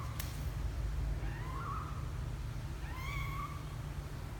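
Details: A 12-day-old kitten named Misoka venturing out of the box for the first time gives two thin, high mews, the second brighter with overtones, above constant low background hum and a sharp click at the start.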